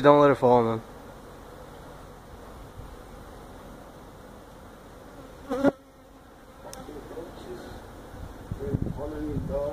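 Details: Feral honey bee hive being removed from a tractor tire in a citrus orchard stack in Mission, Texas; a steady soft hum of bees, broken by short bursts of voices at the start, middle and end.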